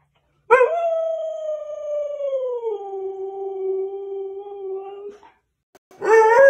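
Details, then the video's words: Siberian Husky howling in protest at not going out: one long, steady, drawn-out howl of about four and a half seconds that drops to a lower pitch partway through, then a fresh loud howl begins. "husky screaming woof!"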